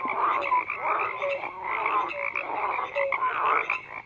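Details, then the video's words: A dense chorus of many frogs croaking together, overlapping rattling pulses mixed with short clear tonal notes that recur every half second or so, steady and unbroken throughout. "FROGS CROAKING"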